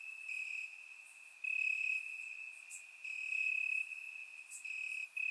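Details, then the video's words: Warm summer night in Bulgaria with crickets chirping in grass, surround-microphone recording; steady shrill trilling with louder surges of about half a second every second or so, plus a couple of brief higher ticks. "Cricket Sounds - Crickets Chirping at Night"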